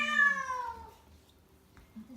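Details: Rescued house cat in heat, before a planned spaying, in Tendo, Yamagata Prefecture, Japan. It gives a single loud drawn-out meow that slides downward and fades, followed by near quiet indoors.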